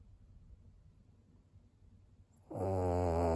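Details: Snore from Maria, an 11-year-old fawn female pug in Japan, recorded 17 April 2022: quiet at first, then one sudden loud, buzzing, low rasping breath in the final second.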